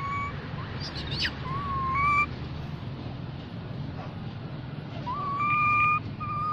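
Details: Baby mona monkey calling to its group: short whistled tones that step up and hold level, given in separated bouts with a brief high squeal near the start, over a steady low rumbling background.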